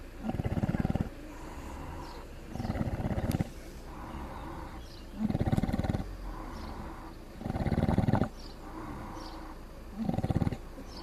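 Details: Sleeping pig at a South Wales monkey sanctuary, Cefn-Yr-Erw, snoring in a steady rhythm: six coarse, low rumbling breaths roughly every two seconds, with faint chirping birds behind.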